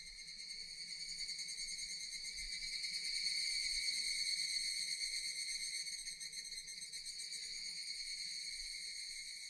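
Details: Relaxing nature ambience of Japanese cicadas: an unbroken shrill, ringing buzz with a fine rapid throb, swelling gently in the middle and then holding steady.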